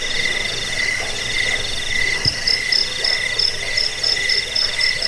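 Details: Jangkik crickets, recorded for driving away rats and tutoring caged birds: dense overlapping trills fill the air, and halfway through a sharper, high-pitched chirp begins repeating in short regular bursts above the continuous buzzing.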